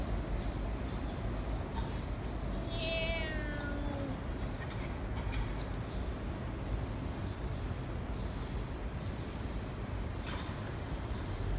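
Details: A domestic cat at feeding time, filmed 15/06/2018, gives a single falling meow lasting about a second, quieter than the constant low-pitched mechanical rumble and faint clicks around it.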